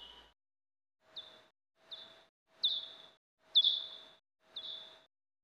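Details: Common or soprano pipistrelle bat echolocation pulses, slowed by time expansion so they can be heard, come as a steady run of brief chirps about once a second, each dropping quickly then levelling into a short flat tail, with faint hiss between.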